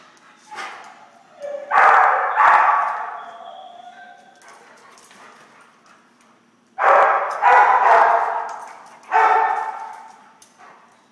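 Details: Two pet dogs, Missy and Sheila, playing at a workplace, give short rough barks and yips in two bursts several seconds apart, with quiet pauses between.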